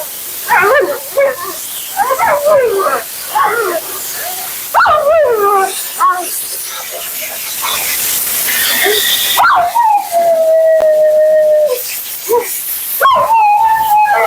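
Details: Vocal Siberian Husky Mila keeps up nonstop commentary while being groomed: a run of short choppy yips and wavering whines, then a long steady howl and more brief yodels, with a loud blower or spray hissing behind.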